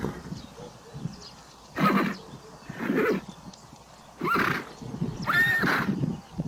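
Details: Neighing from a herd of horses, four separate whinnies spaced about a second apart, the later ones shrill and wavering, over a low background of hoof and movement noise.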